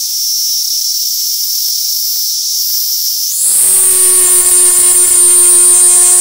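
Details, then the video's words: Platypleura kaempferi cicada held in hand in Tokyo, Japan, on August 3, 2021, singing a steady high shrill buzz that suddenly jumps higher in pitch midway, turning into a louder tonal whine with a low droning undertone. "Singing Cicada by hand (Platypleura kaempferi from Tokyo, Japan)"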